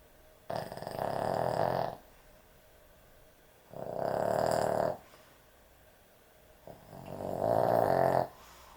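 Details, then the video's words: Loud snoring from a sleeping dog: three long, rough, rattling snores, each over a second, evenly spaced about three seconds apart, in a quiet room. "강아지 수면영상, 코골이 강아지의 취침시간"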